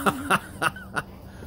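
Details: English Springer Spaniel outdoors barking at a big doe that was acting strangely and then charged it; four sharp, short barks in quick succession, roughly a third of a second apart, over a quiet background.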